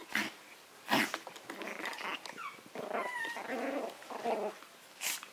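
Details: Maltese matched against a Yorkshire terrier: sharp yappy barks at the start and end frame a stretch of whiny, rising and falling growl-whimpers, with a few short squeaky yelps in between.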